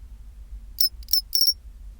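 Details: Pine cricket singing at 24°C: three short, clear, high metallic chirps in quick succession, the last one slightly longer and trilled, giving a ringing 'chin-chiro-rin' phrase over a quiet background hum.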